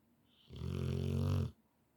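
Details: Sleeping Rottweiler giving one long, loud snore indoors: a quiet hissing intake, then a coarse low rumble with fast vibrating pulses for about a second before stopping abruptly.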